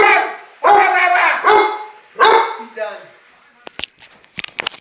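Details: Pet dog in voice lessons producing three loud drawn-out tonal yowls in the first two and a half seconds, then a short lower murmur, followed by faint clicks and taps.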